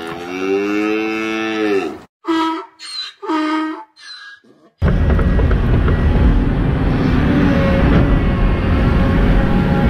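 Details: Dairy cow fallen into a pool and unable to climb out, awaiting rescue by an excavator; a long, low, harmonic-rich moo, then three shorter moos, followed by steady broadband machinery rumble, likely the excavator engine.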